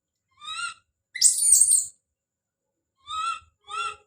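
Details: Baby monkey Don's call: a single tonal cry, a loud, rough, noisy scream, then two more short clear cries after a pause.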